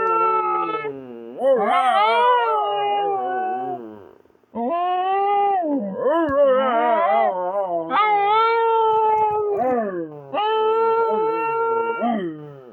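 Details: Howling dog, seemingly trying to communicate, gives a run of wavering howls that rise and fall in pitch, broken by a short silent gap, then several more held, quavering notes.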